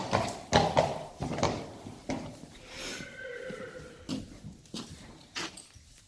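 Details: A three-year-old Friesian horse colt playing outside lets out a short, faint, wavering whinny midway, set among heavy hoof thumps and scuffing.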